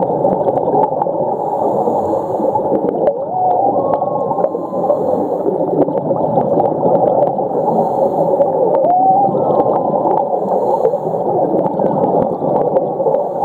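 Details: Whale calls recorded underwater at Ningaloo Reef off north west Western Australia, on the humpback migration route: faint rising and falling whistled tones around three and nine seconds over a loud, steady hiss of water noise.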